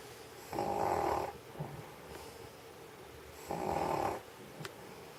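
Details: In Sheregesh, an aged stray dog sleeps on a warm studio floor after eating sausage, producing two drawn-out rasping snores three seconds apart plus soft breathy sounds and a single click.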